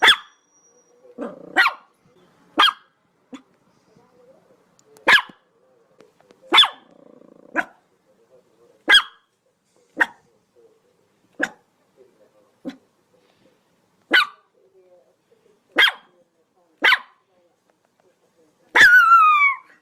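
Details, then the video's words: A dog barks repeatedly at uneven intervals, mostly single sharp yaps with a few softer ones between, ending with a loud, high, whining bark that falls in pitch. "SOUND OF DOG BAGGING BARKING DOG"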